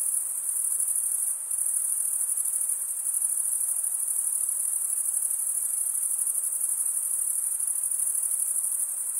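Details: Many crickets singing in a forest on a summer night, a constant piercing high trill that briefly drops out just before the second mark, then resumes, steady and finely pulsed with no other sounds.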